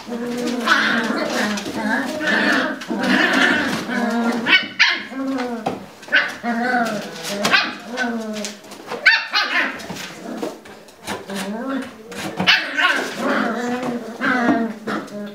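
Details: Indoor puppy pen where Lagotto Romagnolo puppies scuffle, with a steady stream of squeaky, bending yelps, whines and little growls in tumbling bursts, some falling in pitch, with short pauses between rounds.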